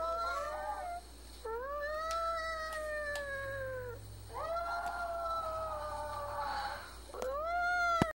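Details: A five-year-old male Chihuahua, prompted by a person, gives long, high, wavering howls, each rising then holding steady; owner thinks he is sad because his female companion is in heat and he can't reach her.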